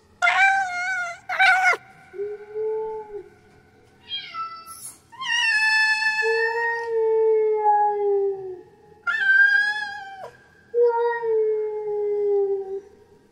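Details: Female domestic cat in heat making her mating call: loud, abrupt cries mixed with long, low, wavering howls that slide gently downward, several separate calls spaced by short gaps, clear and close.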